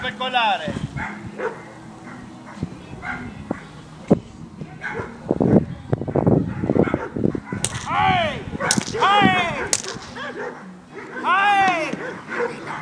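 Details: Labrador Retriever Amba in defence training at FreeDog. Scattered thumps and sharp cracks come first, then loud, arching barks near the end, with a person's voice mixed in throughout.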